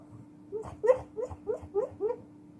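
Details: Pit bull vocalizing in his sleep; a run of six short, soft whimpering yelps, each rising then dropping, spaced about a quarter second apart, with a constant low hum behind.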